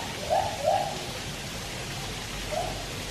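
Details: White-handed gibbons singing at Taipei Zoo, captive, a Malayan tapir swimming nearby: three short, mid-pitched hooting notes, two close together then one after a pause, over a steady watery hiss.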